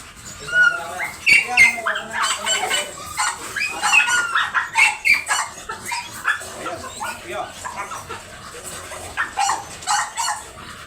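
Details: Dobermann dogs at a stud service in Bunuan, Dagupan City, Pangasinan, Philippines: high, whining whimpers and short yelping barks come in uneven bursts, mixed with people talking nearby.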